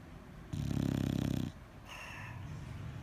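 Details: One gravelly, pulsing snore from a sleeping bulldog, followed by a softer whistling breath out.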